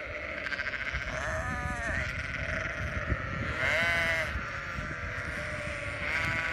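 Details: Sheep bleating: long wavering, quavering bleats rising and falling, repeated several times over a busy background of rustling and low rumble.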